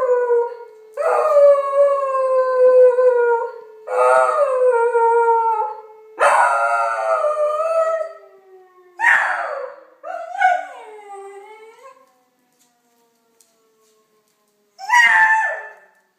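A beagle howls in long, wavering cries, answering a siren, then breaks into shorter yelping wails.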